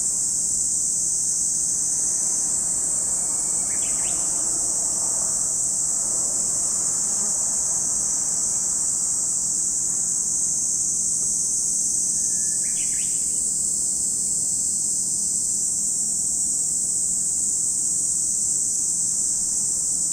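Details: Continuous shrill cicada drone at Lake Kamo, Sado City, Niigata Prefecture, Japan, holding an even high hiss without pause; short bird calls break in near four and thirteen seconds.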